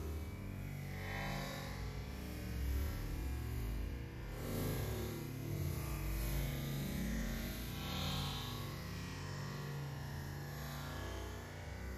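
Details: Bass-heavy electronic music plays throughout, with no animal voice standing out.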